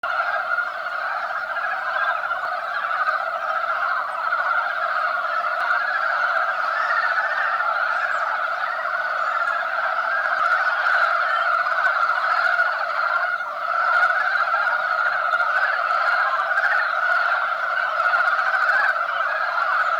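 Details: Many male mountain frogs calling together at a spawning site as they compete for females, the female buried beneath them; dense, continuous croaking chorus in a steady band, unbroken for the whole twenty seconds.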